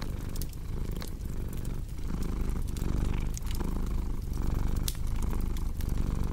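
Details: A cat's deep, even purr pulsing in slow breaths under scattered pops and crackles of burning wood in a fireplace.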